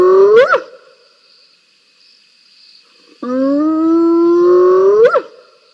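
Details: Wild spotted hyenas fighting at a waterhole, recorded by live cam on 7 November 2021: a short call ending in an upward squeal, a pause, then a long level tonal whoop that climbs and cuts off in a rising squeal.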